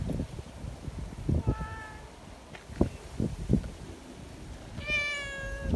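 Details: Sociable community cats gathering in strong wind, eager for strokes; a brief faint meow early, then a clearer falling meow near the end, amid buffeting wind and thumps.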